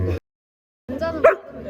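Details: A Samoyed at a Hongdae dog café where twelve Samoyeds gather gives one short, sharp bark between people's voices, while visitors indoors coax the dogs to sit for treats.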